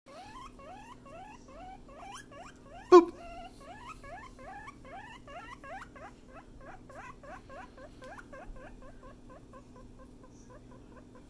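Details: A guinea pig wheeks continuously, giving a rapid run of short, rising whistled squeaks, several per second, for over eleven seconds. A steady low hum sits underneath, and there is a single sharp knock near the start.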